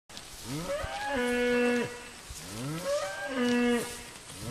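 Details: Grazing cows: two long moos about two seconds apart, each rising into a held, droning tone, over a constant background hiss.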